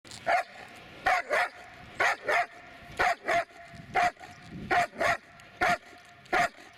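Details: Dobermann named Magmar Von Der Burgstätte barking in short sharp bursts, often paired as quick doubles, roughly one bark or pair every second, with a quiet background.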